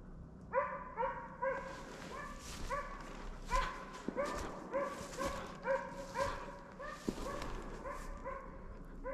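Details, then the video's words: Slovakian hound Arrow baying at a wild boar held in place during a November 2022 driven hunt in Sweden; a rapid series of about fourteen ringing, harmonic barks in nine seconds, steady and insistent, with faint rustling behind. "Slovački kopov - držanje u mesto"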